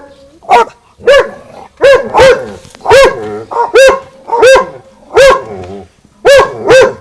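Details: Garden-fence exchange between dogs Winston and Popeye: loud, ringing barks arrive singly and in close pairs, spaced by short gaps, each with a bright tonal core and rough upper edge.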